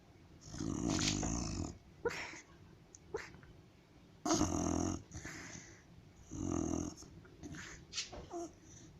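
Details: White dog asleep at home, snoring loudly: long rough, growly rasping breaths about every two to three seconds, with small snuffles and sputters between them.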